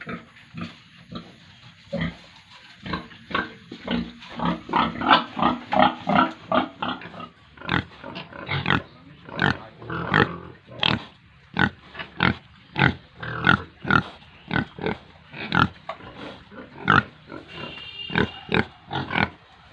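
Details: Pigs and piglets on a Tripura farm in India grunting steadily, roughly one to two short rough grunts per second, with a few higher squeals toward the close.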